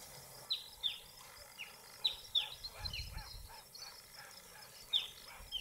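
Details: Dwarf mongoose at Buffalo Springs, Kenya, giving thin, high, downslurred chirps at irregular intervals.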